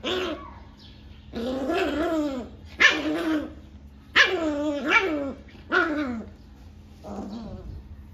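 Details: A 40-day-old Rottweiler puppy, acting aggressive after a bath, gives a run of high, rough little growls and yaps over a faint steady hum.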